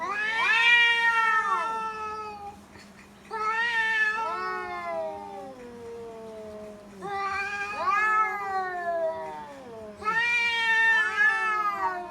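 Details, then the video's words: Domestic cat and the neighbour's cat facing off in a fight in Bangladesh: four long, loud yowling bouts, each wavering and bending downward, harmonics stacked high, brief quieter gaps between, faint steady hum underneath. "Funny Cat Fight | Funny cat sound"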